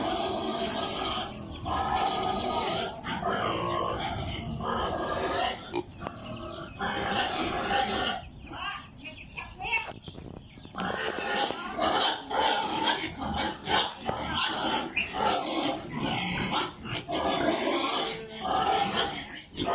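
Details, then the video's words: Many piglets kept on an Italian pig farm, a continuous jumble of squeals, grunts and rustling with brief dips, possibly a voice mixed in among the herd noise. "Sound of piglets in pig farm"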